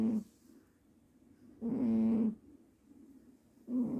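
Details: A domestic cat snoring loudly while sleeping deeply, each snore a low, rasping, harmonic burst lasting about half a second, repeating roughly every two seconds with quiet breathing in between.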